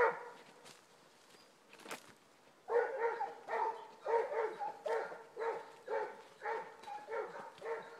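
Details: Basset Hounds on a rabbit trail, a pair of them giving tongue: a quiet start with a few sharp snaps, then a rhythmic series of throaty bays, close to two per second, after about three seconds.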